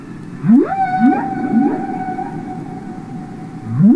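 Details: Humpback whale singing underwater, as heard on Capitol Records ST-620: quick rising swoops sliding up into a long, steady, pure moaning tone that holds for seconds before another upward swoop begins.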